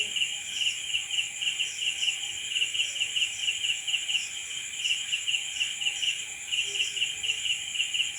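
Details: Night crickets keep up a continuous, high-pitched, evenly pulsed trill of rapid chirp bursts, several per second, with a quiet hissing background and nothing else prominent.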